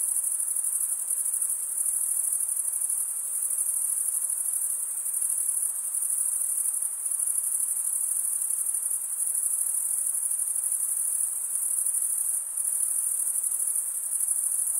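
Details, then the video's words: Crickets chirp by stridulation, males drawing a wing edge over the serrated vein of the other wing, producing a sustained, very high, ringing trill with faint flutter and small periodic dips in loudness. "Most relaxing cricket sound"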